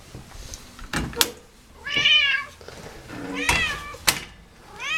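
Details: Domestic cat named Scientist meowing indoors after eating, during play time: two clear harmonic meows, one near two seconds and a rising one at the end, between sharp knocks and clicks in a small room.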